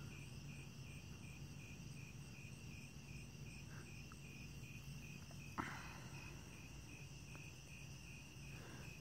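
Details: Cicada outdoors among trees, near one emerging from its shell while molting; a steady, high, pulsing insect call repeats about two to three times a second over low rumbling background, with a sharp click midway.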